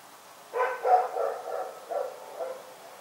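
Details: Rex the dog barks at night, a quick run of about six hoarse barks in rapid succession, the first ones loudest and the rest trailing off.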